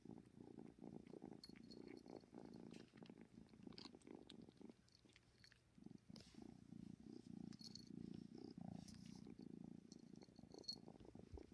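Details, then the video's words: Loud motorboat-like purring from a kitten ten weeks old, a steady low rumble with quick regular pulses, breaking briefly near the middle before resuming, with occasional soft clicks and rustles. "Kitten purring like a motorboat"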